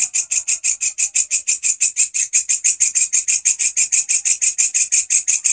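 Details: Grasshopper singing, recorded as master audio for teaching caged songbirds, giving a rapid series of harsh, high, rasping chirps near five per second, evenly spaced and unbroken over about thirty pulses, with no other clear sounds.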